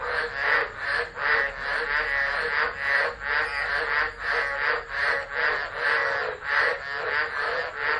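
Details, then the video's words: Tropical frogs calling during a tropical low, Driver, Northern Territory, Australia, 13 Dec 2013, phone left recording; loud, insistent rasping croaks repeat rapidly in uneven bursts, a constant broadband wash behind them. "Tropical Storm Frogs Singing"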